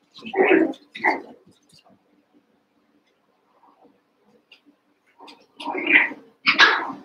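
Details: Cavalier King Charles Spaniel puppies, eight from two litters (Daisy's six and Robin's two) merged together and playing indoors. There are two loud, harsh yapping barks, then a quiet pause, then three more rising yelps close together near the end.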